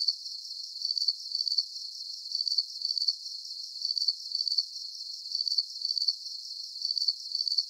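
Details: Crickets chirping in a steady, high-pitched chorus, short trilled bursts repeating about twice a second with a faint continuous shimmer beneath, no other sounds.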